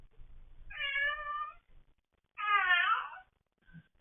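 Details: Domestic cats meowing indoors: two drawn-out, harmonic-rich meows, the second louder and slightly wavering, separated by a short pause, with faint handling noise.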